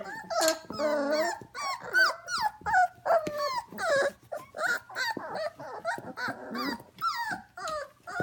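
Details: A litter of 25-day-old F1 Goldendoodle puppies at home indoors at 11 pm. Many overlapping high, wavering whines and squeals come in quick irregular bursts, some sliding up and down, with short growly yips between.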